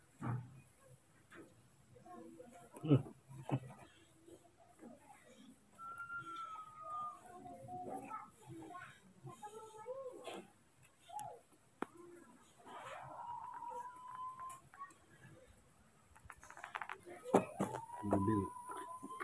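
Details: Baby monkeys Moni and Mino, hand-reared at home, scared and angry at a new person filming them: thin whistled squeals, some rising then held steady, scattered through the clip among low human voices, thumps and indoor noise.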